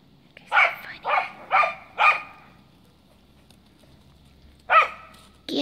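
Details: Cardigan Welsh Corgi playing in the snow, frapping: four loud sharp barks in quick succession, a silent gap of over two seconds, then another single bark and the start of a further one.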